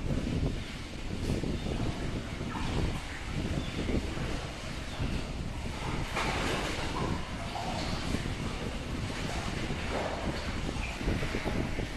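Steady broadband rumble of wind buffeting the microphone, with no clear animal calls.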